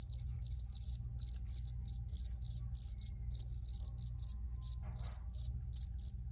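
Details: Cricket chirps ring out clearly and loudly, a regular series of short high pulses roughly every third of a second, with a faint low background hum and a brief soft noise near the end.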